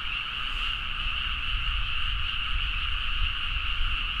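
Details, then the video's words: Deep-night frog chorus in Nagaoka, Niigata, Japan rice fields, recorded on a Zoom H4n; a smooth even band of massed croaking without distinct individual calls, accompanied by strong low-pitched rumble. "The frog sound at mid night (環境,自然音 -深夜のカエル大合唱-)"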